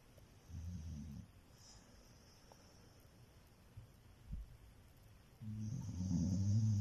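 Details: Pet dog snoring while asleep: two low, rumbling snore breaths, one near the start and a louder one at the end, separated by quiet breathing.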